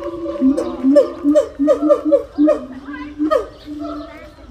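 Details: Gibbon voicing its territorial, family-bonding call as a rapid string of swooping, looping whoops, roughly three per second, rising in energy and then trailing into softer steady tones.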